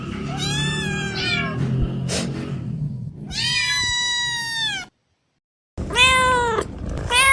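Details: Kittens meowing: loud, drawn-out, arching meows with rich harmonics, three main calls separated by short pauses and a brief silence, with a low background hum throughout.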